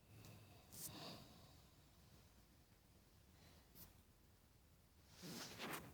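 A Staffordshire Bull Terrier snoring, with soft breathy snorts every few seconds in a quiet room.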